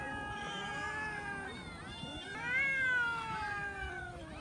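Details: Domestic cats eating raw chicken; overlapping drawn-out meows with rich harmonics, rising and falling, one louder wavering cry near the middle, steady throughout the clip.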